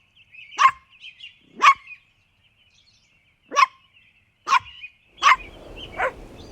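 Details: Puppies playing and competing for toys on green grass give short, sharp yapping barks, about six in a row at uneven gaps of roughly one second, against an otherwise quiet background.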